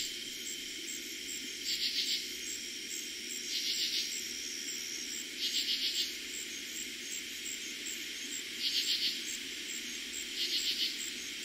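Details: On a summer night in 2021 in eastern Pennsylvania, the first night katydids were heard that season, katydids give short, raspy pulsed bursts about every two seconds over a steady cricket trill.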